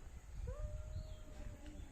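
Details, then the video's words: Cats fighting: a drawn-out tonal yowl that slides upward and then holds a steady, slightly wavering pitch, over heavy low rumbling wind noise. "Cat fighting"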